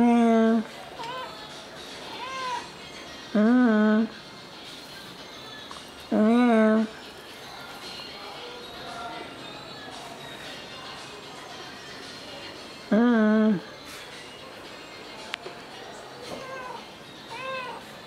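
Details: Ginger house cat filmed on a Tuesday afternoon, 6 September 2022, after recovering from a life-threatening virus; four loud drawn-out meows spaced several seconds apart, with softer mews and quiet room noise between them.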